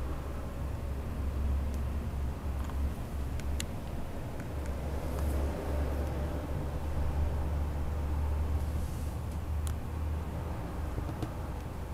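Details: Constant low hum and traffic-like rumble with a few sharp clicks, and no animal calls.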